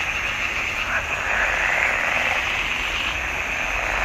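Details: Frogs calling in a swamp pond in June 2021, a dense, blended chorus of high rasping notes forming a steady wash with no clear gaps, overlapping calls merging into continuous sound.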